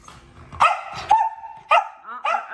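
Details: Pomeranian puppy giving quick high yaps, four in close succession with one drawn-out whining bark among them, with a woman's Malayalam voice before and after.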